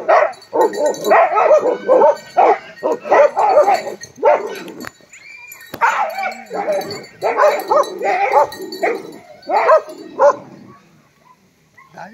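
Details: On 22 November 2023, the Tibetan mastiffs Love and Dorje (Bhote Kukur) bark in dense clusters of hoarse, mid-pitched woofs. A brief lull near five seconds is followed by more barking, which fades out at the end.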